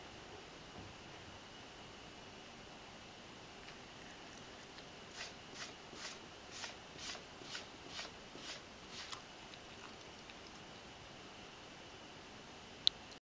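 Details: Ragdoll cat Mojio eating dry kibble indoors, chewing well: a run of about nine soft, crisp crunches over four seconds in a quiet room, then silence with one sharp tap near the end.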